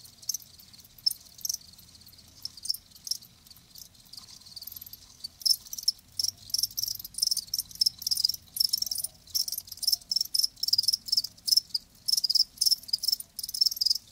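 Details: Chirping of live crickets: sparse pulses at first, then a denser run of rapid high chirps in quick succession toward the end.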